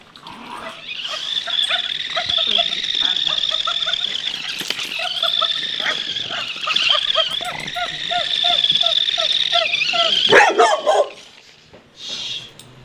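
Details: Pug in a home with a mastiff, facing a new self-moving, noisy toy. Repeated short, high yips run for several seconds over a continuous high whine. A loud clatter follows near the end, then quiet.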